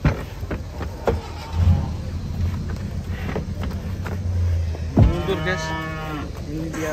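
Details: Cattle unloaded from a truck after the chains are lowered. Brief thumps and rumbling, then a long, full moo rising and falling over the final two seconds, with engine noise beneath.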